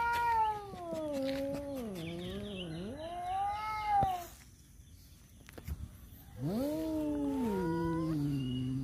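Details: Tomcats quarrelling over a female, uttering long drawn-out wavering yowls that dip and rise, a pause of quieter rustling, then another rising howl that slowly falls away.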